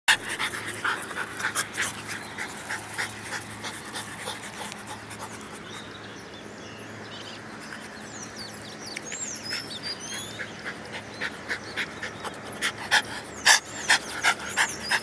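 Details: French Bulldogs named Charlotte and Nutella, pets indoors, one panting in quick breathy bursts, roughly three per second, fading midway then growing stronger and louder toward the end, with faint high chirps in the background.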